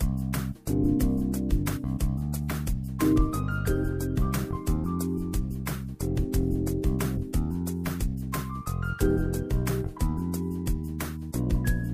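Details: Vibraphone-like mallet music plays in bright, plinking phrases, with no animal voice present.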